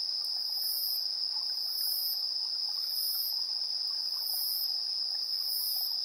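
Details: Evening insect chorus at 7:04 PM on September 3, 2022, captured with the built-in AB stereo microphones of a TASCAM Portacapture X8: a steady, unbroken high ringing trill beneath very high, shimmering pulsed chirps repeating roughly once a second.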